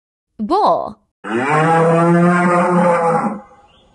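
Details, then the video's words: A bull gives a short rising-and-falling bellow, then a deep, steady moo that holds for about two seconds before fading. "Wild Animal Sounds: Bull"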